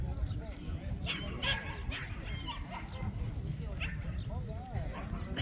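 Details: Jindo dogs at the 67th Korea Jindo Dog Association contest to select Korea's best Jindo: sharp barks and yips burst out repeatedly over steady crowd chatter and a public-address announcer.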